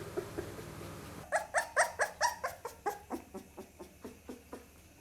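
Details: Pit Bull puppy indoors, a low murmur at first, then a run of about thirteen high, harmonic yelps, roughly three per second, loud at the start and fading steadily toward the end.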